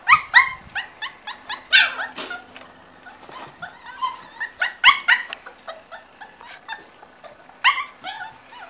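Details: Five-week-old Corgi puppies: a busy run of short squeaky yips and whimpers from several pups, bursts coming irregularly, with soft background noise and faint human voices.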